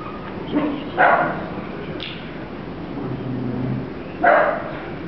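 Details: Dachshund puppy letting out two high, sharp yips about three seconds apart, with a faint brief squeak between them and a soft low hum in the background.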